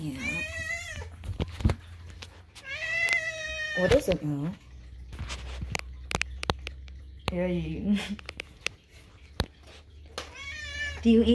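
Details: Indoor food time with a hungry pet kitten: several long, harsh, wavering meows, including a lower, broken cry mid-way, mixed with a woman speaking and quiet background music.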